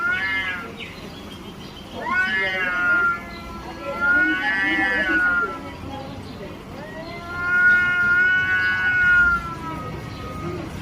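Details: Cat yowling in a fight over territory, a series of long, rising-and-falling moaning howls, four swells spaced a couple of seconds apart, with soft background speech.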